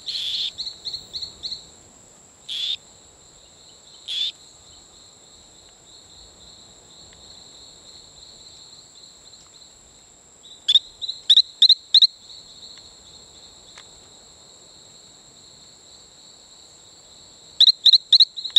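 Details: Male Talamanca rocket frog calling on Isla Colon near Playa Bluff, Bocas del Toro, Panama: scattered bursts of quick, high, paired peeps separated by long pauses, over a steady high insect drone.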